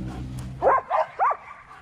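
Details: Domestic dog barking three times in quick succession, short mid-pitched barks spaced about a quarter second apart, with a low hum in the background before the barks begin.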